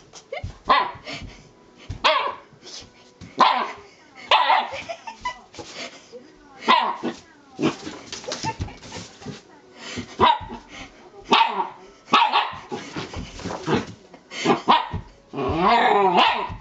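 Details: Elderly Shiba Inu dog indoors making a fuss before pooping, giving repeated short barks and yips roughly every second, some whining, harmonic cries near the end, faint background voices.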